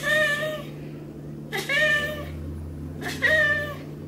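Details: A Maine Coon cat gives three drawn-out, slightly wavering meows, each about half a second long, while getting a massage.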